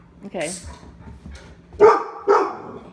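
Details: Labradors Lola, Dale and Max in an Omaha home during door-behaviour training; a brief human voice, then two loud, sharp barks in quick succession near the end.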